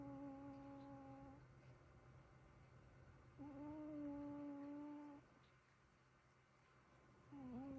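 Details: Snoring from a pair of resting cats, heard as sustained nasal whistles, one lasting about two seconds after a pause, with a new wavering whistle starting at the close; quiet indoor background.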